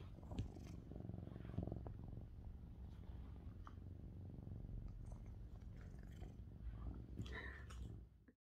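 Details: Mićo, a male lynx point Siamese cat, purrs very loudly while being brushed, a deep, even, rhythmic rumble with light brush scratches and rustling on top, fading out at the end.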